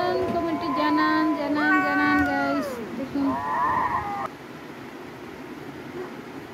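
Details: A cat's meows in quick succession over the first four seconds, harmonic and wavering, including a higher bent call near the end, then near silence with a low background hum.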